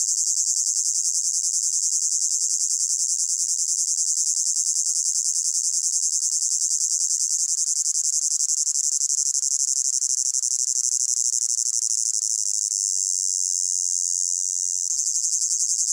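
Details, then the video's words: Crickets in a hot summer meadow, a dense high continuous trilling chorus with fine rapid pulsing, steady throughout with a brief dip near the end, blended from layered ambient recordings. "Sound of Crickets in a Hot Meadow"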